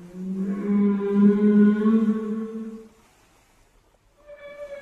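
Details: Whale call: one sustained, buzzy, low moan with rich overtones lasting about three seconds, then a short silence before a higher, thin steady tone begins.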